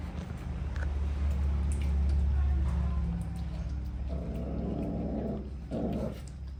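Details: Puppies growling while eating food and angry, a low continuous rumbling growl that swells and fades, with a steady low hum throughout and brief louder bursts near the end.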